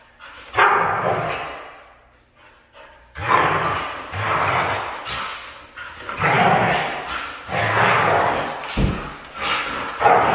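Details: Red female Siberian husky vocalizing indoors: loud, rough, drawn-out talking howls and barks in several bursts, each about a second long, with short pauses between them.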